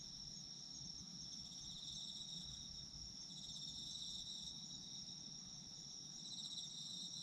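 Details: Autumn insect voices for falling asleep: continuous high chirping trills stacked at two pitches, gently swelling and fading, with soft low-frequency background noise.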